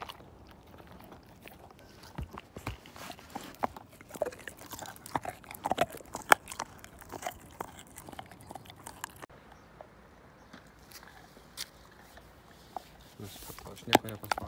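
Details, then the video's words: Husky called Slim chewing a bone until none is left. Continuous bony crunching and sharp clicks with some louder cracks, a brief lull midway, then more bursts of gnawing near the end. "My Husky Tear This Bone Down To Nothing!"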